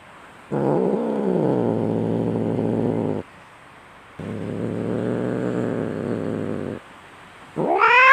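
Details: Fighting domestic cat, said to be fierce and raging, giving two long, low, grating growls separated by pauses, each held about three seconds, before a sharp rising yowl begins at the end.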